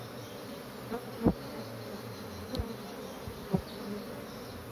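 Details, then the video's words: Agitated honey bees from a kept colony: continuous low droning hum, with several louder individual bees whizzing close by in short rising-and-falling buzzes, roughly every second or two. "Lebah Maduku Lagi Ribut"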